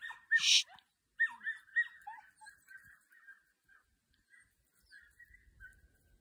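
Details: Young Podenco dogs at a training session: a sharp opening yelp, then a run of higher, whining yelps that come in quick bursts and grow shorter and fainter over several seconds, with a faint low rustle near the end.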